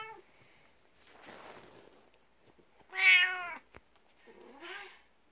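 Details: Indoors in the morning, a jealous 12-year-old black cat rubs against legs beside a 19-year-old cat. Short meows follow a soft rustle, then one loud, bright meow and a fainter final one.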